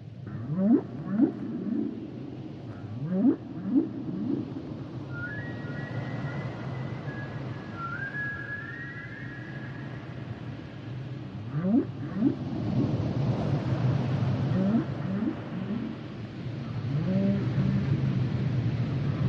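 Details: Humpback whale song: rising low moans and upsweeps repeated in bursts, with long higher whistled tones gliding near the middle, over a steady low underwater rumble.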